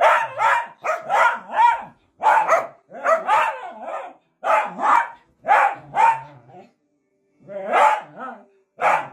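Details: {'text': 'Miniature dachshund at play, giving a rapid string of loud, rough barks in quick pairs and runs, about a dozen over nine seconds with brief pauses, little else audible.'}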